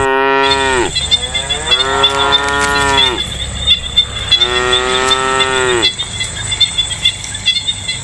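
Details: Distant lowing of cows in the countryside on a peaceful day: three sustained, rich moos that sag in pitch at the close, separated by short pauses, over a continuous high-pitched insect drone.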